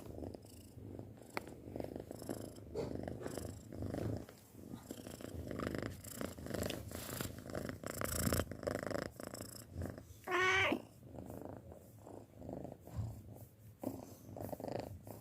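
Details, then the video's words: A six-month-old house cat purrs in a soft, uneven rumble with breathy pulses; a short rising squeaky sound appears around ten seconds. "Suara Kucing Mendengkur"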